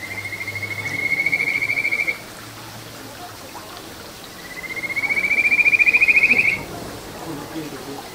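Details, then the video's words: Two long rising trills from a Kajika frog in a small stream in satoyama, Ichihara, Chiba, Japan, filmed June 9, 2022, each a fast pulsed whistle climbing slightly over about two seconds, separated by quiet water sound. "カジカガエルの鳴き声 里山を流れる小川に響くかはづの美声"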